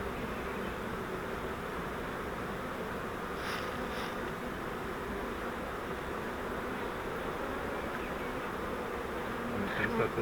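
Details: Honey bee swarm caught in a flowerpot bait hive, being moved into a Langstroth hive: a dense, steady hum of many bees fills the whole stretch, with a few faint clicks and handling noises near the end.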